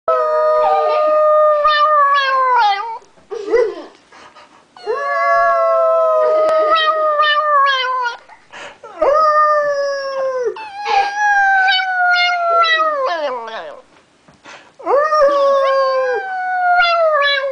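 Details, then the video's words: A toy poodle singing: long, loud, wavering howls in four bouts of about three seconds each. The tones hold steady or slide gently downward, rich in overtones, with short yips and whimpers in the pauses between bouts. "Singing Toy Poodle"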